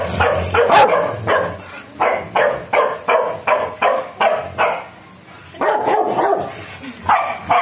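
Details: Several young Rottweilers, four puppies in early training, give rapid yappy barks in a steady run of about two to three per second. The barks pause briefly near the middle, then resume in a noisy cluster.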